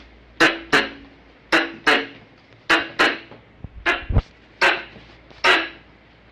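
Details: Squirrel calling used as a hunting lure, with abrupt, explosive chuck notes often given in close pairs, about a dozen over six seconds at uneven spacing, plus a few faint low knocks.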